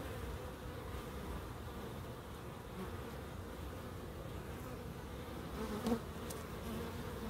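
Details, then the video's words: Relaxing steady hum of bees in a small garden with a pond and bird boxes in Crookes. A low even buzz holds throughout, broken by a single soft click near six seconds. "1hr of Relaxing Bees"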